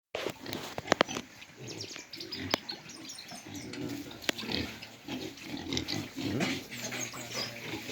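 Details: Pigs on a hog farm in Jamaica, grunting in low, rough bursts, with clicks and knocks from the pens and a faint squeal near the end.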